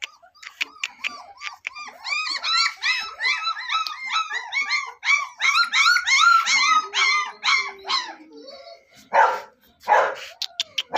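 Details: Double-coated German Shepherd puppy in Meerut, one of a litter of three males and a female, yelping in quick high arched yips several times a second, then a low moan, scuffling and sharp knocks near the end.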